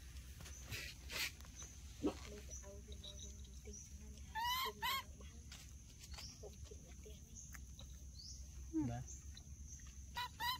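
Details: Baby monkeys Dorn and Dum in their daily life give short, high, harmonic squealing cries in brief bursts, some rising and falling, scattered through the clip among clicks, rustling and people talking nearby.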